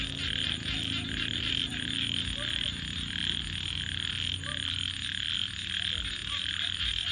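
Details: Frogs at night heard over a crackling fire: a high, throbbing chorus with brief rising croaks scattered through it and a heavier low roar of flames underneath.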